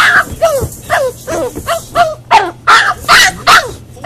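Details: Boxer puppy in a crate during crate training, upset at being left alone: a series of high, tonal whining cries, each about half a second long with a falling, wavering pitch, coming faster and sharper toward the end.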